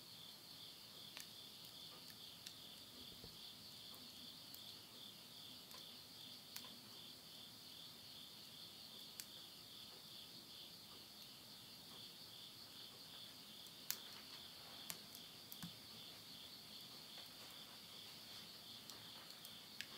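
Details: Countryside insects calling around midnight in Yurihama, Tottori, Japan, at summer's end in September 2020; an even, high-pitched shimmering trill fills the background, punctuated by a few clicks and pops of burning wood in a stove.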